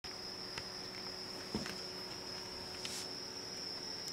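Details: A small cricket near a house keeps up a steady, high-pitched trill while a cat nearby also calls, with a few soft taps in the background.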